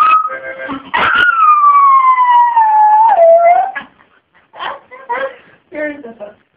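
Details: Roxy the dog sings along with a harmonica, letting out one long loud howl that glides gradually lower over about three seconds, followed by short broken whines and yelps against faint harmonica tones.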